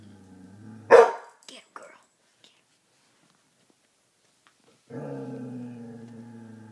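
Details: Dixie, a female coonhound, barking at her own reflection in a mirror indoors: one sharp loud bark, a few short faint grunts, then a long low rumbling growl.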